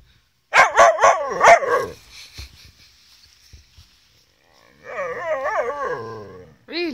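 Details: Male Gerberian Shepsky urging his reluctant sister, a collie cross German Shepherd, to play: three quick sharp barks, a pause, then a long wobbling howl-like grumble and the start of another yelp.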